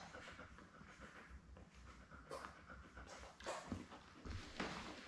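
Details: Seven newborn Labrador Retriever puppies born May 24, 2021, kept with their mother Belle indoors on a live puppy cam; steady panting with a few short high whimpers from the pups.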